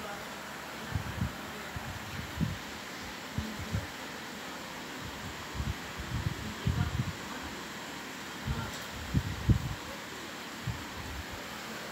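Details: Low thumps and rustling handling noise with a steady hum in a small room, and no bird calls heard.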